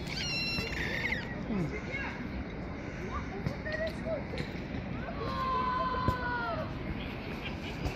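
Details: Little street kittens climbing onto a lap give thin, high, harmonic-rich mews, a sharp burst at the start and a longer arched cry later, over steady traffic rumble and outdoor noise.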